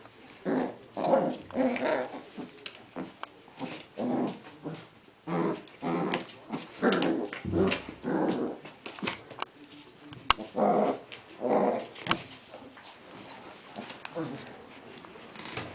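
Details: Cairn Terrier mother Aisha with her puppies indoors, a run of short growling and whimpering yips in quick bursts, repeated about once a second, with sharp clicks and knocks between them.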